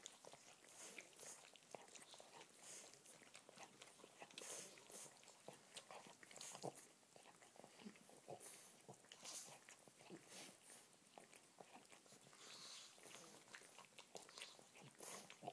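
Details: Che, a young pug, eagerly licks his older pug brother Mowgli indoors, even his paw pads; a quiet, continuous run of wet clicking slurps and smacks with brief louder bursts.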